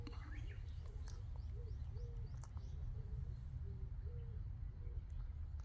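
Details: Abandoned young puppy, rescued after falling into a drain and later adopted, gives short, thin whimpers. They are repeated roughly twice a second, some rising and some falling. Faint birds chirp higher up and soft voices are heard.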